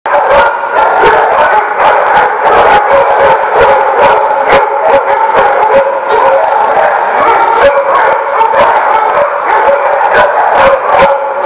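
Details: Many dogs barking at once, recorded 24 November 2017: a dense, continuous chorus of overlapping barks and yaps with sharp clicks and thumps throughout, no pauses between voices.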